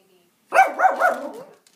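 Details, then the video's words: A little Yorkie named Max facing off with a squirrel over bird food: one short burst of two or three quick, high yappy barks running together, the last trailing off into a whine. "Yorkie vs. Squirrel"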